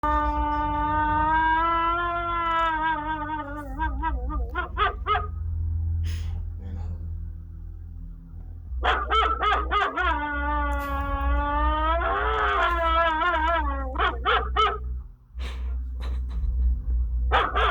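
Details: Jax, a German Shepherd, howling: long sustained harmonic howls that waver and rise, broken into short yipping pulses near the ends, with a steady low hum underneath.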